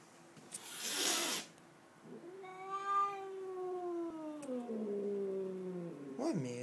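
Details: Domestic cat that suddenly started acting crazy one day: a drawn-out, wavering yowl held for about four seconds, sliding slowly downward with a rich harmonic tone, preceded by a short noisy burst; a person speaks nearby.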